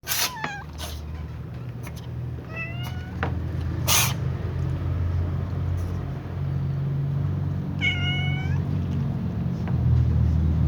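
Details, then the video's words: Black cat sneezing before eating alongside other cats: sharp, broadband bursts near the start and again around four seconds, with short rising-falling meows from other cats in between and near the end over a steady low hum. "black cat sneezes before eating with other cats"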